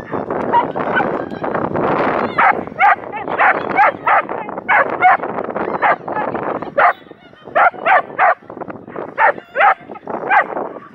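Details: Aira, a Schapendoes, barking during an April 2015 agility trial at Arendal: loud, clipped barks in uneven bursts, several close together, with a murmur of people and event noise throughout.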